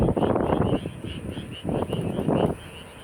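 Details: Frogs croaking near the UNESCO-listed tomb of King Sejong, heard on the way home from work: dense, rattling pulsed croaks in three long bursts, a faint higher note repeating above, and a low rumble underneath.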